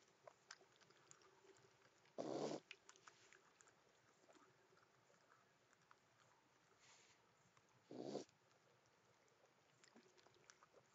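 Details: A raccoon at night in a garden gives two short, harsh, raspy calls several seconds apart while flirting during courtship.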